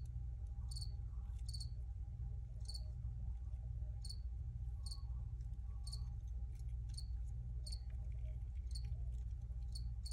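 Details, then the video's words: Cricket chirps, crisp high notes sometimes doubled, spaced unevenly through the recording above a heavy steady rumble and a thin constant tone. "Free Cricket Sounds for Re-Use or Relaxation"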